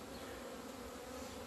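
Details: Wintering honey bees leaving the hive in the February sun on 17 February 2020. A constant, unbroken hum of many wings, low and level, with faint hiss over it and no other clear sounds.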